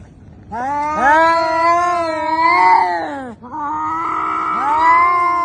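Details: Domestic cat, part of a funny cat compilation, giving two long drawn-out yowls, each a steady harmonic wail that bends up and then down, separated by a short break.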